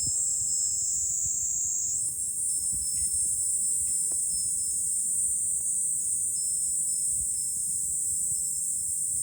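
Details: Cicadas singing in July from a lookout over Fukuoka City, Japan: a shrill, sustained buzzing drone whose pitch steps up after a couple of seconds, with scattered short clicks and low rumble below.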